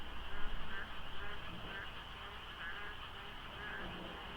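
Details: Frogs calling en masse in the dark before dawn at the Deokso interchange on a South Korean expressway during the rainy season, light fog: short croaking pulses repeat every half second or so over a steady hum and low road rumble.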